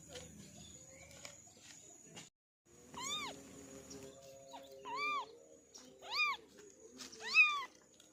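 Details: Orange kitten meowing indoors: four short, arched, high-pitched meows spaced a second or two apart, the last the loudest, over a faint steady hiss and some light clattering earlier.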